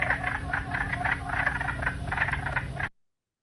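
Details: Wood frog (Lithobates sylvaticus), nicknamed the duck frog, from a Canadian prairie wetland series, calls in a chorus: harsh, clucking, duck-like quacks, several overlapping at about four notes a second, over a low steady hum.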